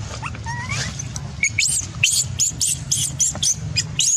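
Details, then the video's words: A baby macaque, angry because its mother refused it milk, shouts loudly. Two short rising whistled coos are followed by a rapid string of harsh, high-pitched screeching bursts, roughly four per second, over constant low background rumble. "The mother monkey refused to give the baby monkey milk, the baby monkey got angry and shouted loudly"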